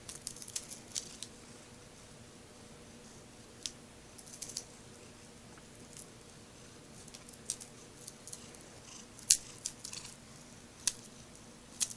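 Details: Quiet indoor room with soft scattered clicks, taps and small rattling noises over a low background hiss.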